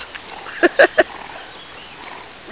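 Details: Newfoundland dogs out swimming; three short, sharp barks fire off in quick succession within half a second, set against a steady hiss of background noise.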